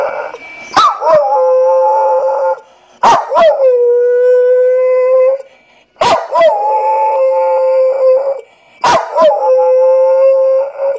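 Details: Female Staffordshire Bull Terrier crossed with Boxer, a rescue pet dog, giving her 'woo woo' howls: four long, steady, tonal howls, each starting with a sharp yelping onset and held level for about two seconds, repeated every three seconds.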